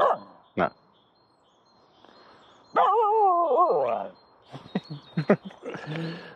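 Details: Aamu, a female Finnish Spitz, plays with a stick in an empty horse pen. A short bark is followed by a long, wavering, harmonic yodel-like vocalization, then several quick yips. A person talks to her between sounds.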